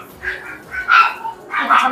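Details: Small dogs yapping at a crowded, noisy dog café in Cheongdam, Seoul. Three sharp, bright barks come roughly 0.7 seconds apart, with quieter indoor murmur between them.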